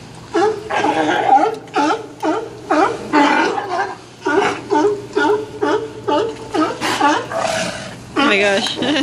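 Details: Sea lions jostling for spots at Old Fisherman's Wharf in Monterey, California: a steady series of gruff barks, about two per second, with human voices talking alongside.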